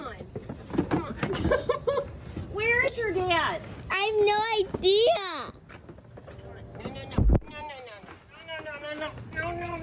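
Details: A goat lets out loud, humanlike screams, two strained, downward-bending bleats in quick succession, amid children talking and background rustle; softer wavering cries follow near the end.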